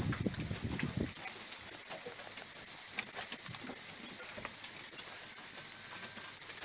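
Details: High, constant trilling from a group of house crickets raised in captivity, opening with a short low thump of handling noise, then the steady ringing chorus alone.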